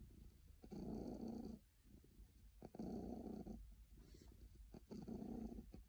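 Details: A contented cat, described as very happy, purrs in three even, buzzing rumbles of about a second each, evenly spaced by quieter breaths.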